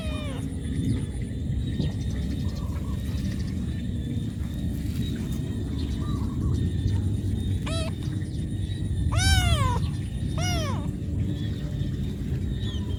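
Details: Cat calling its mother because it needs food, giving a series of meows, some short and arched, others longer and falling, grouped late in the clip, with constant low rumble underneath.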